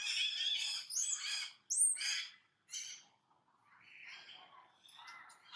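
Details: Brady, a pet monkey filmed daily, keeps making an unexplained noise: harsh, high squealing cries in quick bursts, loud at first, then fading into softer, thinner squeaks with quiet gaps.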